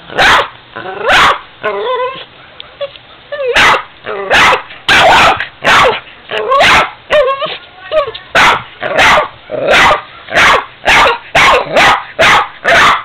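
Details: Ester the Boston terrier confronting a 45-year-old piggy bank, mixing sharp barks with rising whiny yelps and growly notes early on, then settling into rapid, fairly even barking toward the end.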